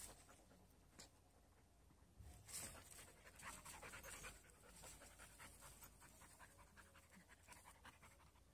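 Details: Panting from Fidji, an energetic three-month-old Border Collie puppy and Hyona's new friend: rapid, steady breathy puffs, roughly two or three each second, continuing throughout, with a louder rustle near the start.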